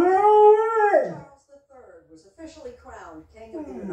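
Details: Dog howling in response to a CBS trumpet: a smooth, tonal howl of about one second that holds steady and then slides downward, followed by quieter voices talking.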